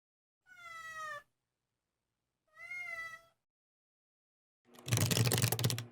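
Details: Domestic cat named Gaeul crying softly whenever its owner sneezes, as if telling them not to: two short, quiet, slightly falling harmonic meows about two seconds apart, followed by a loud human sneeze.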